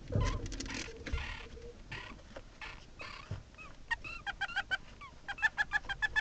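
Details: Meerkats filmed by a hidden camera inside their burrow give a few rough, scratchy bursts of sound, then rapid, short chirping peeps.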